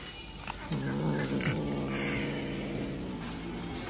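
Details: Kitten holding a big fish in its mouth, intimidating the cats around it: a low, harmonic growl starting near one second and droning steadily to the end, with faint background noise.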